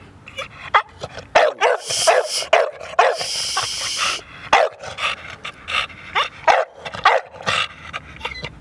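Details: American Bully male, exotic ghost blue tri, short and compact stud dog in Portland, barking repeatedly in uneven bursts over about nine seconds, one loud hissy burst in the middle.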